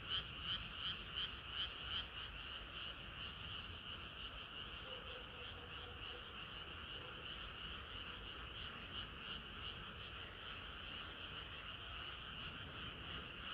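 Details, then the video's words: Frogs singing on a hot summer night; sharp rhythmic croaks open the chorus, then soften into a steadier blended hum of many callers, with a brief lower drawn-out note midway. "개구리들의 합창은 끝이 없어라"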